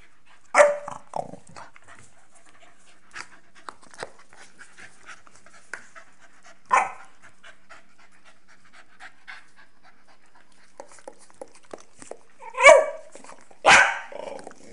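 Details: Two young Staffordshire Bull Terriers, Nelly, a 12-month-old female, and Rip, a 7-month-old male, playing games together: a few short, harsh vocal bursts near the start, middle and end, with soft scuffling and panting between them.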